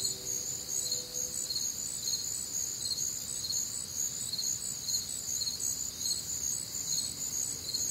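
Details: Warm, humid summer night in the Midwest with crickets chirping nonstop, a shimmering high chorus pulsing about twice per second, a brief low hum at the start.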